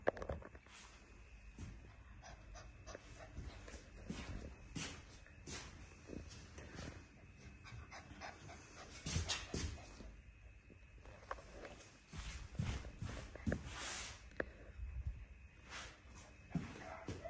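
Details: Female Bernese Mountain Dog puppy panting: breathy, noisy bursts repeat rapidly through the recording, some louder and more clustered, with rustling and handling noises between breaths.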